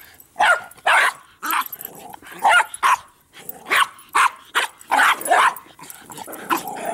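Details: Play session of three dogs, Bix, Banjo and Button, with a Jolly Ball: a string of loud, clipped barks about every half second, mixed with throaty growling in the gaps.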